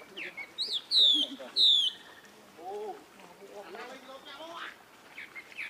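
A young monkey gives two shrill, squealing cries in quick succession, calling for help.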